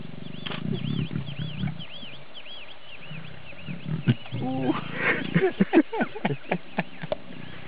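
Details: Lioness trying to lure an uninterested male lion to mate: deep rumbling grunts in the first two seconds, then a man talking and laughing over outdoor background with faint high whistles.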